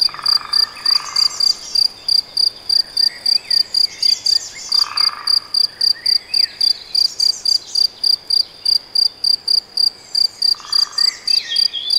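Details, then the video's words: Cricket, possibly a bush-cricket, recorded in the Nagyerdő woodland of Debrecen, Hungary: pure, high, tonal chirps pulsing steadily about four times a second, with bright twittering birdsong and a lower warbling bird in the background. "Tücsök vagy szöcske? - Hangfelvétel a debreceni Nagyerdőben"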